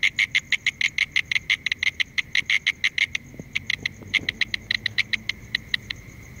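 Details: Mole cricket calling with a rapid, regular pulsed trill that continues throughout, softening somewhat midway, with faint low rustling and background noise underneath.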